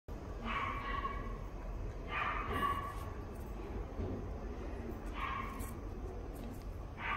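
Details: Standard Poodle at the Inu no Ie pet shop, Fuji branch, giving short high yelping barks, about four in total, spaced roughly every one to three seconds, against steady room noise.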